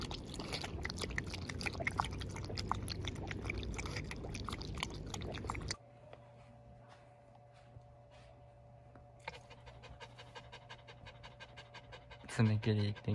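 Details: Jun, a male mame-shiba (miniature Shiba Inu) born 20 April 2020 in Saga Prefecture, on a day that included nail clipping. Rapid, rhythmic breathy pants fill the first six seconds indoors over a low hum, fade to near quiet, then return with a louder closing burst.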